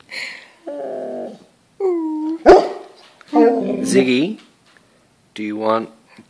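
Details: Pet Golden Retriever Ziggy demands dinner with a string of moaning, wavering grumbles and a brief yelp-like note, each half a second to a second long, while a person talks to him about dinner between the calls.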